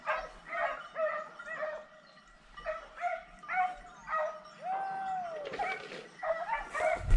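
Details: On a montería drive after wild boar, hounds bark in bursts separated by short pauses. A long, falling howl stands out midway, and crashing brush noise closes the passage.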